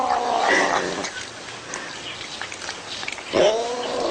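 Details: Domestic cat giving a short meow at the start and another rising meow near the end, with a quiet, noisy stretch between them.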